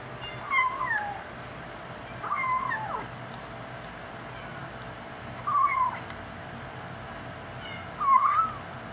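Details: Five-week-old male kitten, one of a litter of five, talking a lot while eating the adult cats' dry food: four short mewing calls spaced a few seconds apart, each bending downward in pitch, over a steady low hum.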